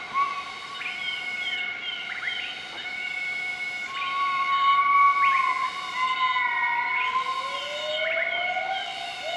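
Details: Morning duet from a group of southern white-cheeked gibbons, Nakai-Nam Theun National Protected Area, central-eastern Laos, 20 March 2014: a sustained wavering tone falls gently, followed by a long upward-sweeping call, with constant high droning in the forest background.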